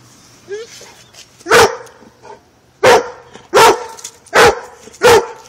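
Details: German Shorthaired Pointer barking while it corners a cat, filmed on a phone: a few faint whines, then five loud, abrupt barks fired off at intervals under a second, with a soft hum in the background.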